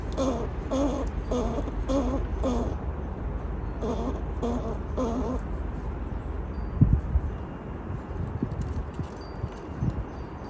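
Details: A squirrel gives a run of short, low, rasping growls in quick pulses, warning another squirrel to keep back while it guards its own feeder food station.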